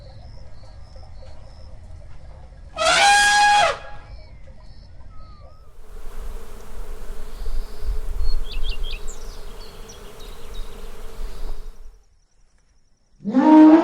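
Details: Elephant: a brief, loud, blaring, trumpet-like blast near the start and another at the end, with faint chirping birds and a low steady hum in between.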